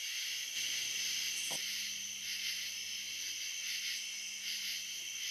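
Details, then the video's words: Cicadas on the Licking River at Morning View, recorded between dusk and dawn: a steady, dense high hiss of overlapping buzzing, unbroken throughout, with a faint low hum underneath and a brief soft knock partway in. "Cicada to Cicada - a 12 hour accoustical journey on the Licking River in Morning View"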